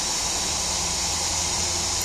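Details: Cicadas keep up a dense, unbroken, high-pitched buzzing chorus like steam or static, at even loudness with no separate calls, while a distant kingfisher catches and eats cicadas.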